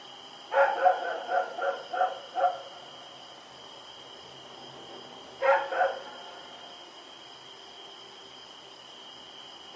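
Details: Dog named Rex, running about at night on October 7, 2018, lets out a rapid string of about six barks, pauses, then a pair more; steady high electronic hum in the background.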